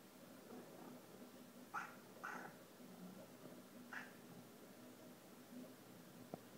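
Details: Pet cats chattering at hummingbirds visiting feeders in the rain: three quick, sharp chirping meows in the first half, then quiet low hum and a single click at the end.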